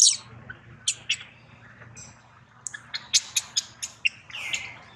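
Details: Baby monkey Daniela cries in pain under attack from Queen Dolley while Dana struggles to reclaim her; scattered shrill chirping squeals, a quick run of sharp cries, ending with a drawn-out descending whine.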